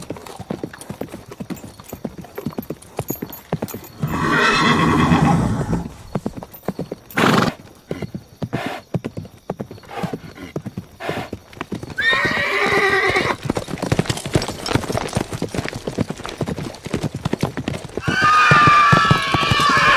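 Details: Galloping horses drum a steady clip-clop of hooves throughout. Three loud neighs break over it: one long rough whinny early on, another midway, and a final one ending in a thin falling whistle.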